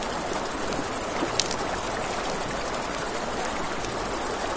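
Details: A continuous high cricket chorus pulses quickly and evenly through the night by a river, while the water murmurs beneath and a campfire gives an occasional crackle.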